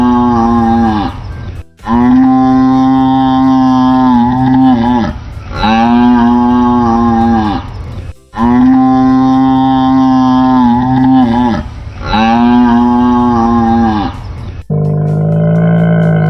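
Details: Cow giving repeated long, steady, even-pitched moos, roughly every three seconds with short gaps between, ending on a brief different low tone.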